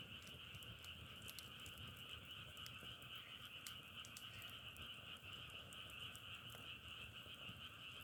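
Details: Massed frog calls keep up a constant buzzing trill in a middle and an upper band, punctuated by clusters of short crackling clicks.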